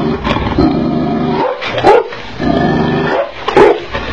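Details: Tibetan Mastiff dog in an angry mood, giving deep, loud, harsh barks in bursts, several strong barks about every second and a half, over rumbling low growl-like noise between them.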